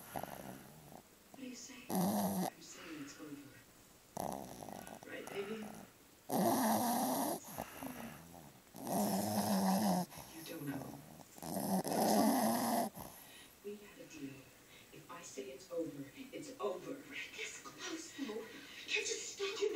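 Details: Black pug and Boston terrier mix snoring loudly: harsh, rasping broadband snores about one second long, repeated roughly every two seconds, fading into softer breathing sounds and quiet human voices toward the end.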